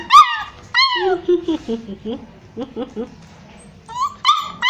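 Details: Stray puppies Crazy, Browny and Kabang, hungry and looking for their mother, let out sharp high yelps that slide downward, then a run of short, soft whimpers, ending with more piercing squeals.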